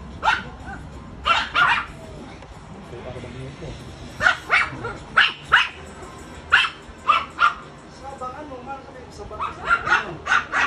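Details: Friendly Chow Chow and Rottweiler cross dog giving short, sharp barks, singly and in pairs or clusters, spaced by pauses of one to two seconds, with voices talking in the background.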